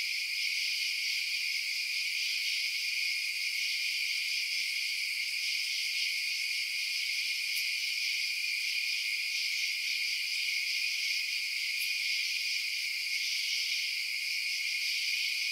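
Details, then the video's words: Night chorus of crickets: continuous, even, high shrill chirping from many insects layered into a steady wall of sound, with two faint brief ticks partway through. "Night Sounds Crickets Chirping"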